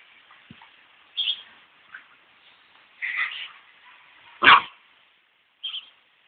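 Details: English Springer Spaniel puppies playing with their gundog mother give short, high yips and squeaks at irregular intervals over a steady hiss.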